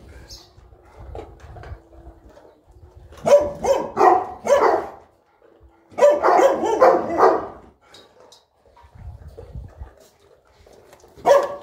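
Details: Boerboel (South African Mastiff) kept as a pet in Egypt, one of the pair Enzo and Diva, at morning feeding: two bursts of deep, rough barks in quick clusters, with quieter whimpering and a human voice between them.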